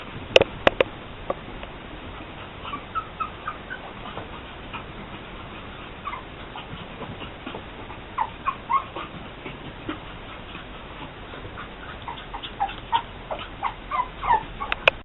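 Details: Female AKC Pug puppy named Sniffles, from champion bloodlines, giving short, high, thin whimpers and yips in scattered bursts, clustered near the middle and end, with soft clicks and handling noise between them in a quiet indoor setting.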